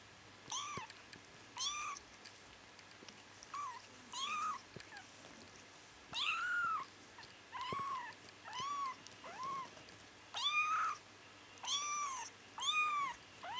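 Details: Bengal kittens twitching and dreaming indoors: a steady stream of short, high, arched mews with bright overtones, each rising then falling, about fifteen in thirteen seconds, with faint soft rustling between them.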